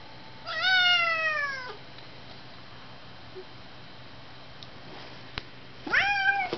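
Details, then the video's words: Fighting tomcat brothers, one orange tabby and one grey, trade harsh yowls: a long, slowly falling wail, then after a pause a second sharply rising yowl, with faint clicks and room hum between. "Blossom And Gadget Fighting"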